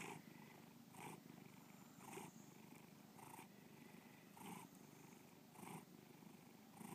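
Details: Bubba, a pet cat, purrs close to the microphone in Lakewood, Ohio, 2013; continuous low vibrating rumble punctuated by louder breathy pulses roughly every second.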